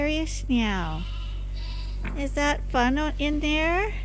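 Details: Lambs being trained to a bottle holder at Ewetopia Farms give a long, falling bleat, then a quick series of short, wobbling bleats over a constant low hum.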